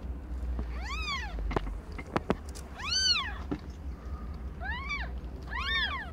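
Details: Domestic cat Aimee, under a year old, delivering five kittens of varied colours; four loud, clear arched meows with strong overtones, separated by sharp clicks and knocks against a low background rumble.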